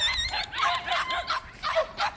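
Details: Several white puppies in a plum orchard, visited outdoors; high, short yipping and whimpering barks in quick bursts with gaps between them.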